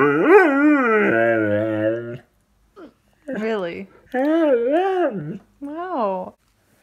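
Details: Miller the dog reacts to dropping his toy with a run of talk-like vocalizations: a long wavering howl, then several short rising-and-falling woo sounds separated by brief pauses, recorded indoors.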